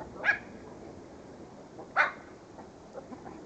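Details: Pet dog giving two short sharp barks about two seconds apart, followed by faint softer yips over a low background hum.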